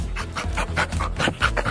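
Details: Pet Labrador Retriever, described as aggressive, reacting because it dislikes being tied up: rapid rhythmic panting breaths, about five a second, over faint background music.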